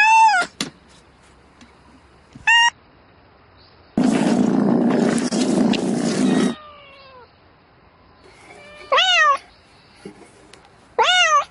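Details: House cat calling for a mate in the night: sharp, arched meows at the start and end, broken by a burst of loud, broadband rustling noise in the middle.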